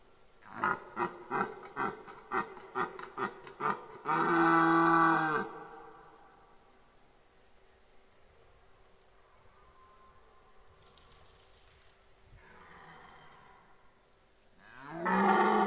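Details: Red deer bellowing in the 2023 rut at Parc naturel de Boutissaint: a rhythmic run of about eight short grunts, then a long, loud, harmonic roar, a fainter distant bellow, and another roar rising at the end.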